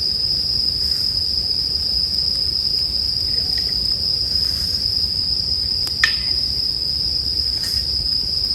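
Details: Continuous high-pitched ringing of bell crickets beside a campfire, a constant shrill tone unbroken for the whole stretch while occasional sharp crackles of firewood punctuate it, one louder snap around six seconds.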